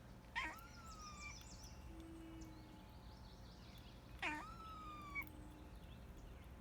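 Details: A pet cat makes cute noises, giving two brief calls about four seconds apart. Each starts abruptly and then holds a clear, level tone that sags a little at the end, with soft high twittering and a low hum behind.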